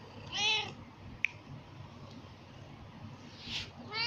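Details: Persian pet cat meowing indoors: a short, high, harmonic-rich meow near the start and a second brief meow toward the end, with a sharp click between them and a quiet room behind.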